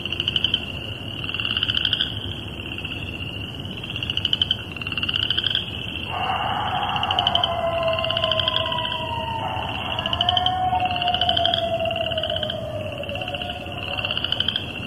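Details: Coyotes calling at night, 10:40pm on March 19th, 2011, in Cuyahoga Valley National Park by Vaughn Road and the Towpath: wavering, sliding howls rise and fall midway through, over a steady, pulsing frog chorus that trills throughout.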